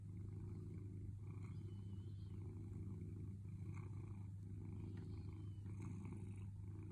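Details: A cat named Sailo purrs as it waits patiently for affection, giving a continuous deep vibrating hum with gentle breath-paced surges and a few faint light scratchy noises.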